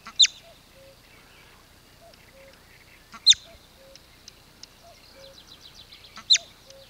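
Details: Bobak marmot signalling danger near Velyka Shapkivka village, Kupiansk district, Kharkiv region, Ukraine: three sharp, shrill whistled alarm notes, each one brief and piercing, spaced about three seconds apart. Soft low tonal notes are heard in between.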